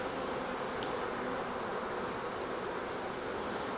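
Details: Honey bees of a wild swarm gathered on a tree branch during capture for hiving in a nuc box, giving a continuous thick droning buzz with no pauses and an even level.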